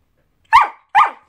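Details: A male Samoyed on his second birthday answers his owner's question about his age with two short, bright yelping barks about half a second apart. The room is otherwise quiet.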